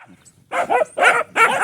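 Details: A dog gives three whiny, yelping vocal bursts after a brief near-silence, each rising and falling, roughly every 0.4 seconds.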